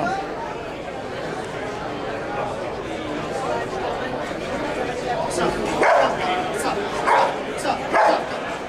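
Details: Police dog barking during a control-around-distraction demonstration at the 2009 Invictus Law Dog Conference in Las Vegas, Nevada; a loud crowd murmurs throughout, then three sharp barks ring out about a second apart near the end.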